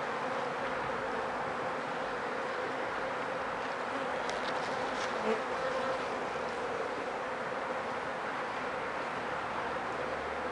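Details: Honey bees buzzing at a hive being checked for sickness, with many dead bees out front after about four days of rain; a steady dense hum fills the whole recording without pause.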